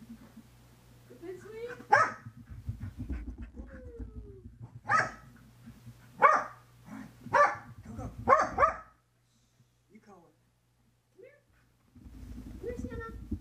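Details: A female Corgi, in her usual post-bath frenzy while being toweled off, gives sharp, loud barks in uneven bursts, with softer whines and human voices between them.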